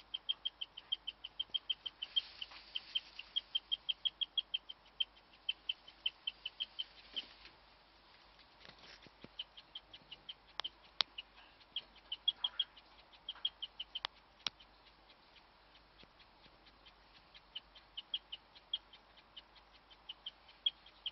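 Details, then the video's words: A female guinea pig, in the dark, chirps in long runs of quick, high, bird-like notes, a rare call of unknown meaning, with a few clicks and knocks; the other guinea pigs froze while she chirped. "my guinea pig chirping"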